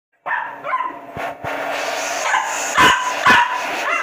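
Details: A male Pembroke Welsh Corgi puppy, 4 months old, gives sharp, high barks and yips at a blow dryer over its steady whine.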